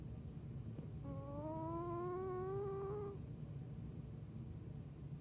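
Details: A female house cat named Athena, a lifelong snorer since kittenhood, lets out one drawn-out whistled snore of about two seconds that gently climbs in pitch, with a soft low rumble beneath.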